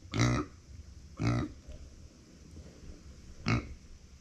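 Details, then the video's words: Female pet micro pig Uni, born September 2020, calls out when left without company: three short, rough grunts, the first two about a second apart and the last after a longer pause, against a quiet indoor background. "そばにいないと鳴く マイクロブタ"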